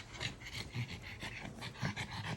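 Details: Maui, a French Bulldog riding a train and getting tired, pants in quick, regular breathy puffs, several per second, over a low rumbling background.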